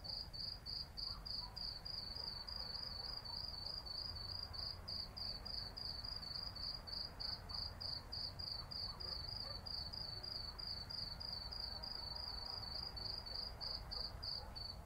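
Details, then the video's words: Night-time summer cicadas in an urban setting, an unbroken run of rapid high-pitched pulses at an even pace, about three per second, with a constant low murmur of city sound beneath. "Cicadas at night in the city"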